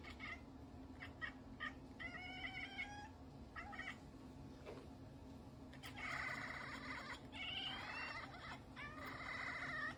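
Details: Domestic cat reacting to a strange sound, giving drawn-out harmonic meows: a few short calls early on, then longer wavering wails from six seconds onward over a steady low indoor hum.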